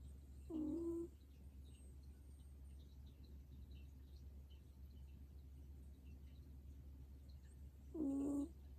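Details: Snoring from an old sleeping dog: two short buzzy snores about seven seconds apart, each a steady low-pitched rasp, with quiet hum in the pause between breaths.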